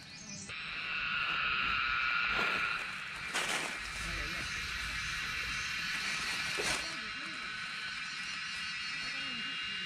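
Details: Cicada song recorded in Nepal while foraging wild mushrooms: a loud, continuous high shrill buzz with steady whistled tones inside it, briefly broken by sharp rustles and handling thumps, and soft human voices in the background.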